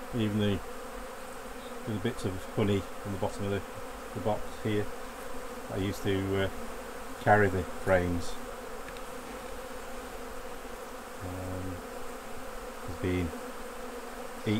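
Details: Honey bees buzz around the hives as honey is removed during a beekeeping harvest. Repeated buzzy drones rise and fall as individual bees pass near, some bursts dipping in pitch, over a constant colony hum.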